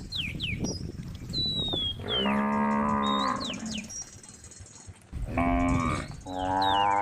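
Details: Tame cows gathered on a road at the woodland's edge call to companions with three deep, sustained moos, one after another, while birds chirp and whistle in the background.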